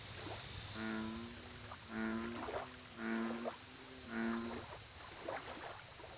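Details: Lake chorus of American bullfrog: deep, twanging, harmonic croaks repeated roughly once a second, several overlapping, above a constant high-pitched insect drone and rapid ticking chirps.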